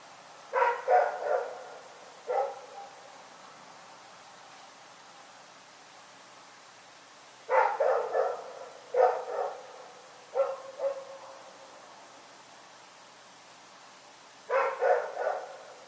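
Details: Rex barks in the night at Pyrga, firing off irregular clusters of two to four short, hoarse barks separated by silent spells of several seconds, with no other sounds standing out.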